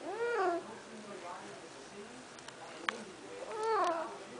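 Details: Pet cat Snuggles, a female, meows as she tries to get out. One clear arching meow, then soft clicks and shuffling, then a second rising-then-falling meow about three seconds later.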